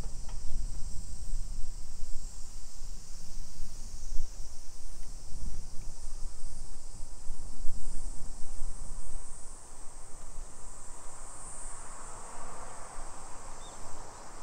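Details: Japanese summer cicadas in suburban Nisshin, about 20 km from Nagoya, 2 PM, 28 July 2021: an unbroken high insect drone throughout, while a rushing, vehicle-like swell of noise builds in the second half.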